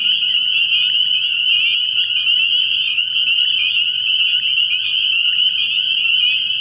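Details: Dense nighttime chorus of spring peepers at a frog pond in early spring. Countless high, piercing peeps blend into an unbroken ringing wall of sound with no pauses, plus a faint steady low hum.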